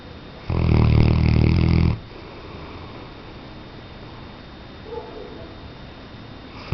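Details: Weimaraner snoring: a single loud, gravelly low snore of about one and a half seconds, followed by quiet steady breathing in a still room.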